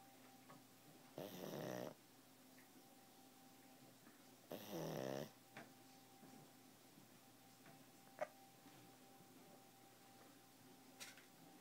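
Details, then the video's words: Sleeping pug snoring softly in a quiet room: two short raspy snorts several seconds apart over a steady faint hum. "Pug snore"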